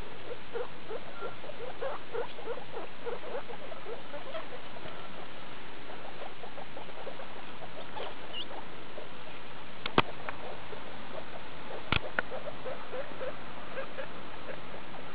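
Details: Skinny guinea pig Daisy with her babies, a litter born 2 August 2012 at CHS Luna, recorded 19 August 2012: dense, rapid series of short squeaky chirps running throughout, with a few sharp clicks near the tenth and twelfth seconds.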